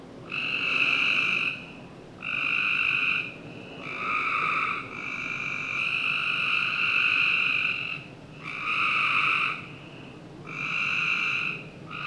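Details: Frogs calling on a summer night in a Northern Virginia backyard: long buzzy trills with a bright harmonic band, in overlapping bursts of about one to two seconds with short gaps, several callers alternating, faint steady background hiss.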